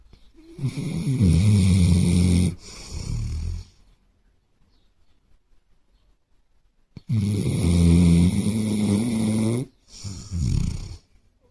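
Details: A Basset Hound asleep on a sofa with his head on a pillow snores deeply, each long, rumbling inhale followed by a shorter snort.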